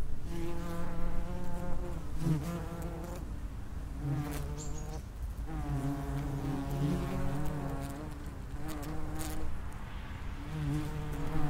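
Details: Several common wasps (Vespula vulgaris) flying around an underground nest entrance, making a continuous low humming buzz whose pitch shifts and overlaps as individuals pass close, with brief faint higher clicks throughout.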